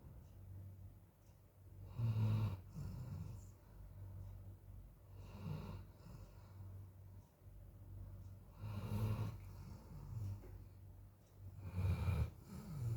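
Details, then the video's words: Sleeping Golden Retriever, tired out by hot weather, snoring in a small room; deep rasping inhalations swell and fade about every three to four seconds, with a constant low hum beneath. "NGOROK TIDURNYA!💥💋 anjing golden retriever"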